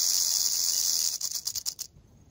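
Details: Canebrake rattlesnake on a dirt road in North America: a sustained high rattle buzz breaks into slowing separate pulses and then stops short.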